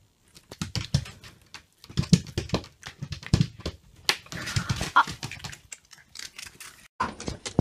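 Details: Shiba Inu indoors reacting to a smartphone ringtone: choppy run of short, low, breathy bursts and yips with brief gaps, plus a couple of thin whining notes near the middle and end.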